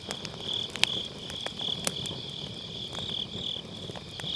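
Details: Grass insects on an autumn night beside a round fire-pit campfire, recorded with a Sennheiser MKE600 microphone using low cut: a steady high, shimmering trill with pulsing chirps, broken by sharp crackles and pops of burning firewood.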